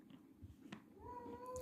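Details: Cat kept indoors after a bath, voicing a drawn-out, steady meow that rises slightly and then holds level for about half a second, after some soft shuffling and rustling in a small room.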